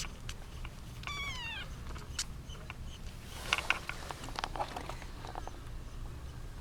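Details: One short, high kitten meow sliding downward stands out over shuffling, rustling and scattered clicks, as eight kittens, seven female and one male, compete for their eight-month-old mother cat.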